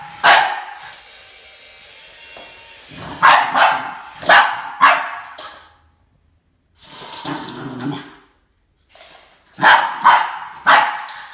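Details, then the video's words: Max, a Boston Terrier, confronting a snake with loud barking: an opening bark, a pause, then clustered sharp barks separated by brief silences. "BOSTON TERRIER MAX Vs SNAKE ~ There can only be one boss"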